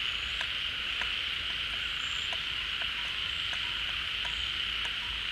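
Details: A crowd of frogs gathered at a refilling pond in the rainy season, calling in unison after leaving their hiding holes: an unbroken high-pitched wash of sound dotted with brief sharp ticks and occasional thin whistles.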